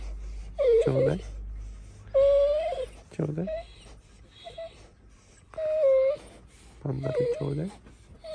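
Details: Morning "talking" from a Golden Retriever: three long, wavering moan-whines, each ending in a lower throaty wobble, separated by quiet gaps and a soft low rumble at the start.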